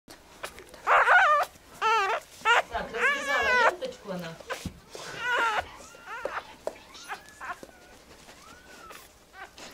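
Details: Newborn Belgian Malinois puppy, less than a minute old, one of a litter of twelve, giving its first breaths and first cry: high, wavering whines and squeals in bursts, fading to thin short squeaks, with people talking alongside.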